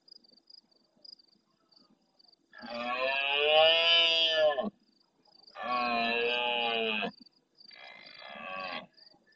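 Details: Big stag in rut at the start of night, El Rocío marshes of Doñana, Andalucía, Spain, close to the camera and replying to roars farther off: three loud, rasping, harmonic bellows in succession, the last shorter, crickets pulsing behind.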